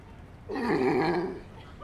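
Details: California sea lion lying in the sun lets out one loud, rough, growling bark lasting under a second, rising sharply out of quiet background.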